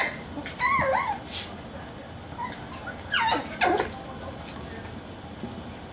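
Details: Maltipoo puppies, eight weeks old, playing indoors: a wavering, warbling whimper, then a cluster of short descending yelps and squeaks a couple of seconds later, with low room noise underneath.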